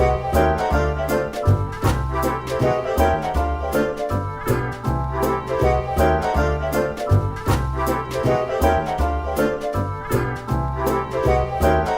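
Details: A bouncy, playful piano tune with steady swing rhythm and bass plays throughout, with no animal sounds.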